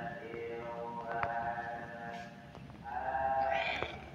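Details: Spoiled-sounding kitten recorded 16 August 2024: a thin meow at the start and a longer, rising, pleading mew near the end, over low background hum and a few faint clicks.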